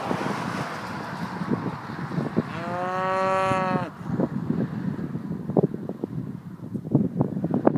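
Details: Cows on the Ring of Kerry: one long, drawn-out moo lasting about a second and a half, steady in pitch then dropping at the end, over constant wind rumble and scattered clicks.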